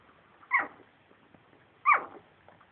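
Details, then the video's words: Two-week-old puppies giving two brief high squeaks about 1.3 seconds apart, each falling in pitch, over faint background rustling. "2week old puppies making cute noises"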